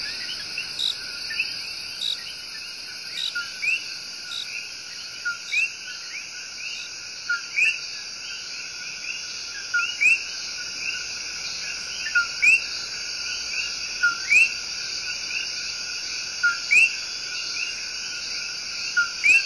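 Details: Common coquis, tiny tree frogs, give their sharp, rising two-note chirps, a love song, repeated again and again over a steady insect drone in the El Yunque Rainforest, Puerto Rico.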